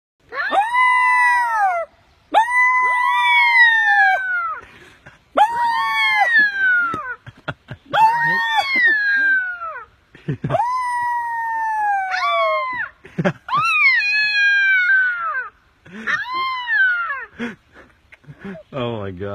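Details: Rescued coyote pup giving a run of loud, high, wavering whines and yelps, each lasting one to two seconds with falling tails, separated by short pauses; an exclaiming human voice follows.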